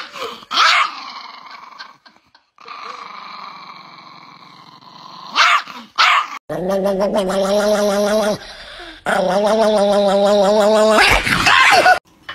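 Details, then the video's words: Niki, an angry pet Chihuahua, growls low and rough, with sharp snaps breaking in, then lets out drawn-out, strained, whining yowls over the growl. "The most Angry Chihuahua in the world"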